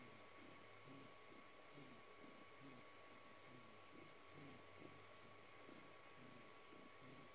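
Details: Noah, a rescued house cat aged around four to five, purring while asking for a belly rub in March 2020. It is a low, snoring, snorting purr in soft pulses about once a second, with a steady electrical hum in the room.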